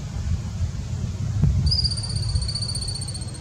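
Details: Thirteen-lined ground squirrel in Southeast Wisconsin, filmed zoomed in from far away: a long, thin, high whistle starts midway and slides slowly downward, over steady low rumbling handling and wind noise.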